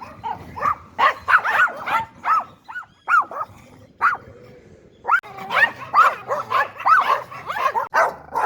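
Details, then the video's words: Yorkshire Terrier barking in irregular bursts: quick clusters of sharp, high yaps, a few spaced single barks with short quiet gaps, then another fast flurry. "yorkshire terrier Dog Barking Sound Effects [ Yorkie ]"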